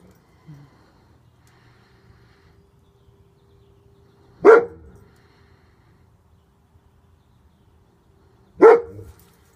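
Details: Protective male German Shepherd with a bandaged back leg giving single deep barks spaced about four seconds apart, with a faint low hum between them.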